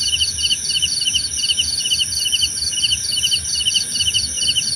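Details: Crickets calling in a natural setting: short trilled chirps repeating roughly twice per second, overlapping a faster higher chirp series and a constant shrill background hum.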